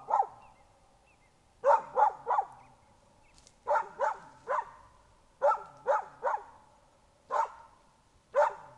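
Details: Young dog barking on a laid bear scent trail dragged with bearskin and diluted bear blood, alert at the trail's end; sharp barks in clusters of two or three, separated by pauses of about a second.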